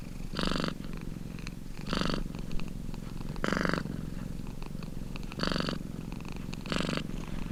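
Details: Close, steady purr from a domestic cat: a deep pulsing drone broken into rhythmic swells roughly every one and a half seconds, each breath cycle adding a brighter rasping burst.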